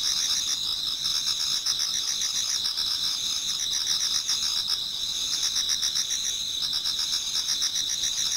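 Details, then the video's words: Autumn insect chorus near daybreak in a garden in Japan, many singers at once; bright sustained high-pitched trills over quick rhythmic pulsing chirps, even and unbroken throughout. "Autumn Insects voice Towards dawn"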